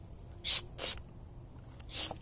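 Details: A pair of European hedgehogs mating outdoors at night huffs in sharp, breathy bursts like short hissing snorts, loud enough to alert someone indoors.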